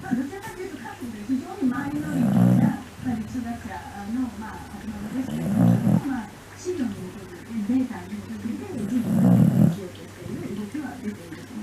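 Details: Sleeping Shiba Inu recorded around 13–14 August 2019: deep, raspy snores swell about every three and a half seconds, separated by quieter throaty murmurs.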